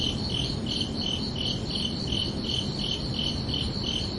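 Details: Crickets calling at night in summer, sharp high chirps spaced evenly at about two and a half per second, with a steady low background hiss.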